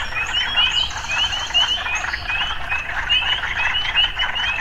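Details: Frogs calling in an urban setting with occasional city sounds: a dense chorus of short, bright, rising chirps repeated several times a second, overlapping one another above a steady low rumble.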